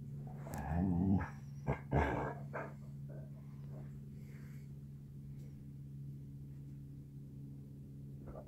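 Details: Basset hound puppy standoff indoors: a low rumbling growl rises into short gruff barks in the first two seconds, then fades to faint snuffles over a constant low hum.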